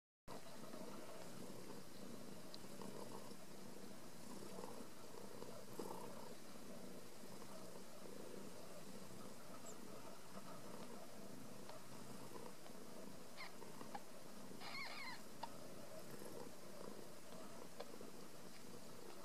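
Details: Ragdoll kittens raised in a home cattery in central Kansas, kept without cages; a steady, low, rumbling purr runs through the whole stretch, quiet and continuous, with faint scattered clicks and rustling on top.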